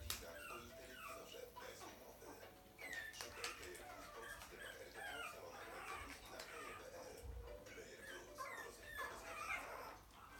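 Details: Puppies whine and yelp together, a busy tangle of high, bending squeaks and cries, with occasional low thuds and faint human voices behind them.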